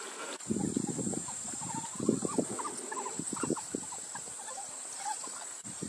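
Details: Endangered African wild dogs in a large pack with youngsters, interacting excitedly and showing energetic affection to strengthen bonds. Overlapping short squeaky, twittering bursts come in rapid clusters, peaking near two seconds, over a constant faint hiss.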